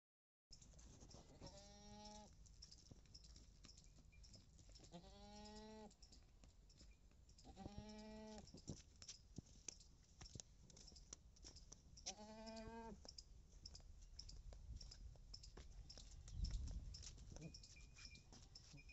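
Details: Female Beetal goat from Punjab, 4.5 months pregnant, giving four drawn-out, nasal, tremulous bleats about every three seconds, each close to a second long, over a steady low hum with faint clicks between calls.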